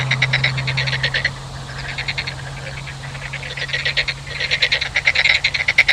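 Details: Frogs croaking in fast pulsed rattles, several overlapping callers, with a lull midway, then a louder burst; a steady low hum runs underneath.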